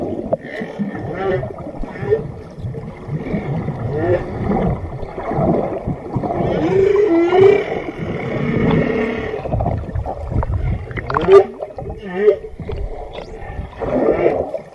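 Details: Underwater whale sounds: a long series of wavering moans and short upswept whoops, some with bright overtones, rising and falling above a continuous murky background rumble.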